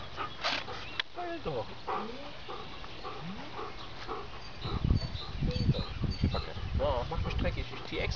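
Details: Giant Schnauzer puppies Dina and Diva with their mother Cindy and grandmother Amira; short rising whines and squeaky whimpers come in bursts, overlaid by a person speaking German, with rustling and handling noises.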